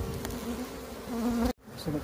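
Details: Wild bees being moved after their colony split, queen already caught; continuous low hum that grows louder, then cuts off abruptly before resuming faintly.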